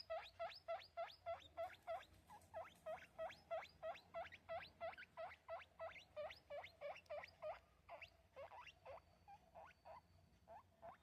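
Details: A baby guinea pig gives a rapid series of high, rising squeaks, about three each second.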